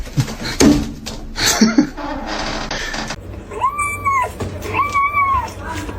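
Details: A domestic cat gives two drawn-out meows, each rising then falling in an arch, following a noisy stretch of household speech and clatter.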